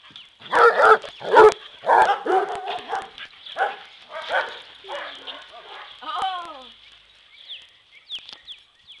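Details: Three playful dogs romping together: a yellow Lab mix, a black Lab and Australian Shepherd cross, and a Basset Hound. A run of sharp, loud barks opens, then fades into scattered yips, with a few human voices calling to them.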